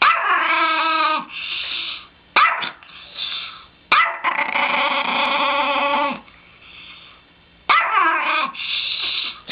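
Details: Chihuahua, described as bad, repeatedly letting out long, raspy, high-pitched wailing yowls of one to two seconds each, separated by short quieter whines and brief pauses.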